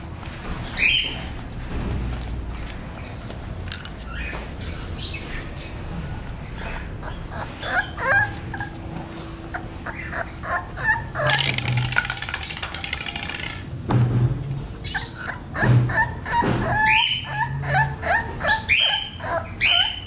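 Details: Male English Bulldog puppy aged 38 days, whining and yipping in scattered short bursts, denser toward the end, with a steady low hum and faint background noise.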